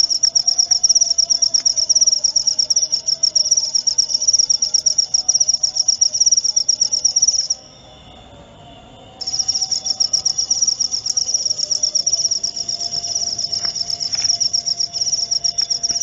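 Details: Cricket sound for driving rats away: fast, shrill pulsed chirping that falls silent for about a second and a half midway, then resumes steadily.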